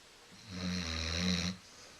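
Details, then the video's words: Female Basset Hound Coco, lazy and napping on the couch, lets out one steady, droning, buzzy snore of about a second, low and rattling, in a quiet room. "Snoring Basset Hound"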